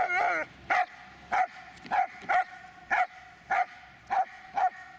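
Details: Magmar Von Der Burgstätte, a Dobermann, barking steadily: eight or so sharp, clipped barks spaced roughly every half second to second, each loud and ringing, after an opening whining bark, with a quiet background.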